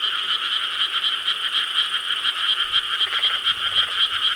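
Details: Many frogs calling together on a summer night in Korean rice paddies, 4 July 2013; a thick, unbroken wall of rapid croaks pulsing roughly twice per second, with faint low rumbles near the end.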